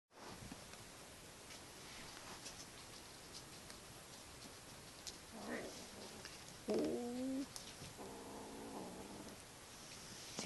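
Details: A 48-day-old kitten at play growls in brief, tonal, drawn-out bursts, each under a second, in the later part; a constant noisy hiss runs underneath with a few faint clicks.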